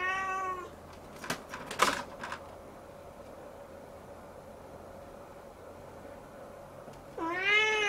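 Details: Siamese kitten looking up at the ceiling; one meow fading out at the start, a burst of clattering knocks, quiet room hum, then another loud drawn-out meow beginning near the end.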